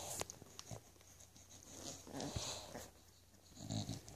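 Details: English Bulldog puppies making soft grunts, snuffles and a brief low whimper toward the end, amid faint clicks, rustling and a steady low hum.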